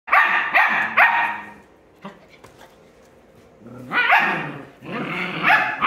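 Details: Puppies 7.5 weeks old bark at each other while playing on beds and running around a room: bursts of high, yappy barks in rapid clusters, a quieter pause with soft growly sounds, then another volley of sharp barks.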